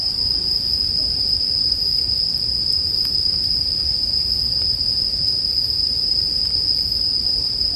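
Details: Bell crickets singing in a sleep-music mix: a steady, high, unbroken ringing tone holds throughout, with soft campfire crackles and pops and a low rumbling hiss underneath.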